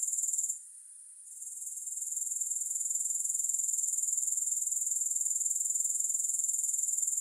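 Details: Steady high, hissing insect trill from grasshoppers, pulsing evenly about four beats per second, with a short quiet dip early on before the shrill buzz returns at full strength.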